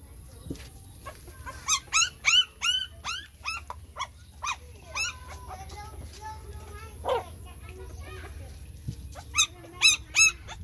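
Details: Several puppies crying while they suckle from their mother: high, thin squeals that sweep up and then down, coming in quick bursts with short pauses. A woman speaks softly in the background, and there is low room noise.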